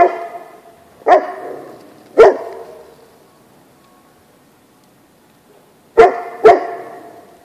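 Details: Great Pyrenees out on a snowy winter day at play, barking four times: two loud barks a second apart, a quiet pause, then two more in quick succession.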